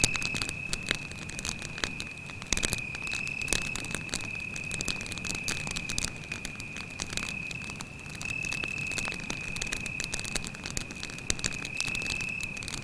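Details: Cricket at night beside a forest campfire, giving a steady, unbroken high-pitched trill that runs through the whole stretch, with frequent sharp crackles and pops from the burning fire.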